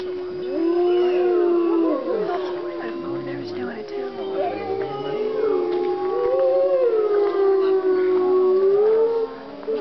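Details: Several captive wolves at Colorado Wolf and Wildlife Center howl together in the middle of the day, long wavering tones rising, falling and overlapping; gray wolf.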